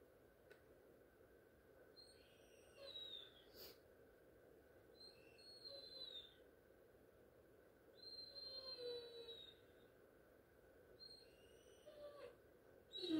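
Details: Great Dane crying for attention indoors: thin, high-pitched whines come in short wavering bursts near three, six, nine and twelve seconds, some rising then falling, over a steady low background hum.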